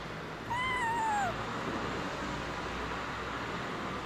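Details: Single plaintive meow, rising slightly then sliding down, from an abandoned kitten found freezing in the snow after two days at -11°C, heard over a constant broad hiss.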